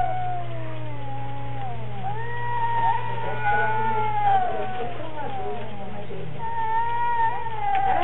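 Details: Cats in some kind of strange battle: long wavering yowls bending up and down in pitch, overlapping one another continuously over a steady low electrical hum.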